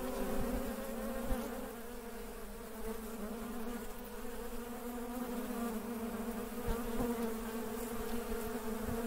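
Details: Busy working honey bees make a constant deep drone with steady harmonic bands, slight swells in loudness and a few faint clicks.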